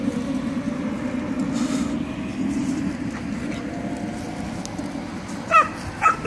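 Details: At night in Belgrade, Serbia, a stray dog gives two sharp, high barks close together at other stray dogs across a fence, over a steady low rumble of background noise.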